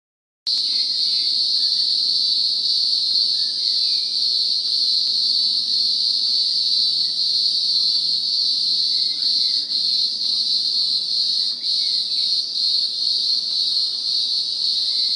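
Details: A green grocer cicada (Cyclochila australasiae), an Australian species and one of the world's loudest insects, gives a loud, unbroken, high-pitched shrill drone that holds steady throughout.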